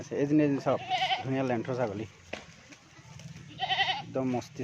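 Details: Assam Hill goats on a farm in Assam, India, giving quavering, wavering bleats in several bursts, some rising and falling, with gaps of quieter background murmur between calls.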